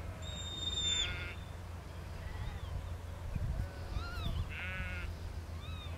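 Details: Lamb in a field being worked by Border collie Lars, a four-year-old sheepdog; two short, buzzy harmonic bleats a few seconds apart, a thin high whistle near the start, over constant low wind rumble.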